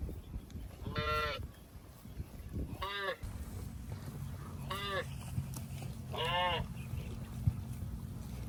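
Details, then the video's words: Cows passing through water in rice fields, giving four short, arched, nasal calls about 1.5 to 2 seconds apart, over a steady low rumble. "Funny Cow Sounds Passing Water in Rice Fields"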